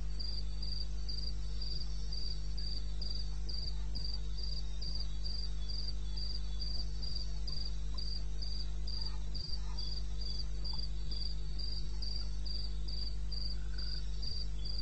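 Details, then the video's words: Eastern Botswana wilderness at 2:30 am on 21 May 2016, a cricket chirping fast and regularly, high thin pulses nearly four per second, unbroken across the stretch, with a low constant hum underneath. "1 Hour cricket sound-Africa-No loop-Real recording."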